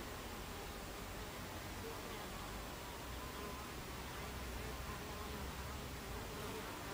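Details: Recorded at 14:30 on 26 July 2013 at the entrance of a Buckfast bee hive: a thick, steady hum of many bees with occasional faint flight whines, uninterrupted for the whole recording.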